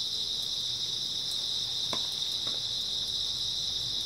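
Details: Grass insects chirping on an early autumn night: a dense, unbroken high-pitched trilling chorus runs steadily throughout, with a few faint scattered clicks underneath.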